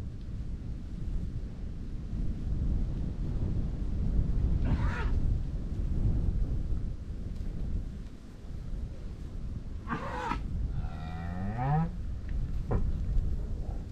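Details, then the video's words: Grazing cows in a Dutch farmland field, Holland: a single moo late on that slides upward and holds, with strong overtones, after two sharp bursts of wind buffeting over steady low wind noise. "COWS MOOING AND GRAZING IN A DUTCH FIELD"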